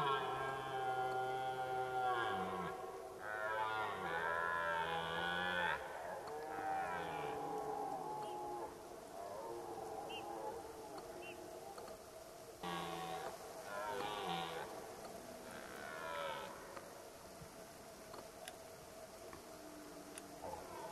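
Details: Red deer roaring during the rut at Zvārde; deep, drawn-out moaning roars lasting two to three seconds each, repeated several times and growing fainter toward the end.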